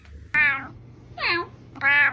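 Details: Brown kitten meowing to attract cats: three short, harmonic-rich meows about half a second apart, the middle one dipping then rising, in a quiet indoor setting.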